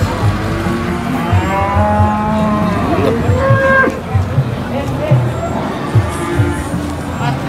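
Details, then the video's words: Cows unloaded at a market, two from Wonosobo weighing about 720 and 710: a flat, low moo held around a second, with rising and falling vocal sweeps, over music, applause, engine rumble and people talking. "unloading jumbo cow at the market"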